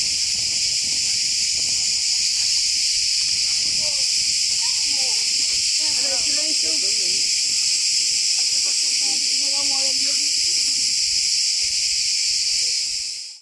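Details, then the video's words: Loud massed cicadas in Turkish forest give a constant piercing drone that never lets up, while quiet human speech is heard faintly below before the sound cuts off at the end. "Very loud cicadas"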